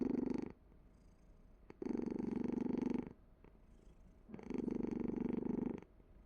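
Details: Cat purring in three long, steady bouts of about one to one and a half seconds each, with a low, rumbling, pulsing tone and quiet pauses between them.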